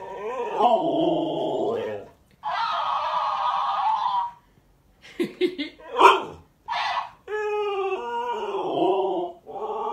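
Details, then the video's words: Female Alaskan Malamute in a heated back-and-forth with a talking toy hamster indoors: drawn-out, moaning 'talking' howls alternate with the toy's squeaky high-pitched echoes, and short gaps and clicks fall between the calls. "Alaskan Malamute has full-blown discussion with talking toy hamster"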